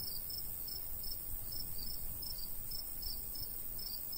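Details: Summertime countryside crickets near a golden wheat field: evenly spaced high chirps, roughly two per second, set against a continuous shrill background hum and soft low wind noise.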